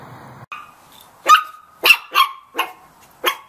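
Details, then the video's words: Puppy barking from a compilation of cute puppies: five sharp, high yappy barks at uneven intervals of roughly half a second, preceded by a thin whine and a low rumble. "Puppies Barking Compilation - Cute Dog Barking Videos"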